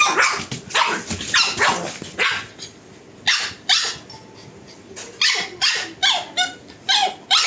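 A pug barks in sharp, raspy bursts, often doubled, with brief pauses between.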